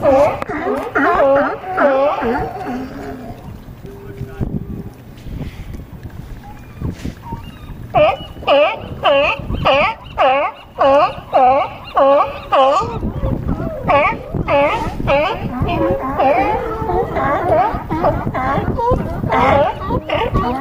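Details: On a harbor dock at Crescent City, California, a group of California sea lions barks in rough, rhythmic bursts. The calls thin out briefly around a quieter stretch with a steady tone, then return loud and regular, with some splashing noise.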